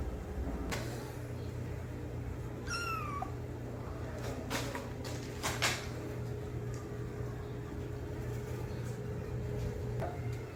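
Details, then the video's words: A single clear, high kitten meow dropping in pitch, calling loudly for its mother, followed by clicks, taps and a steady low hum indoors. "Kitten meowing sound loudly for Mom"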